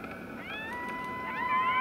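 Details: Five coyote pups answer their returning mother's howl. Their thin, high, wavering howls overlap and rise in a chorus lasting nearly a minute, and the runt gives a little chirp at the end.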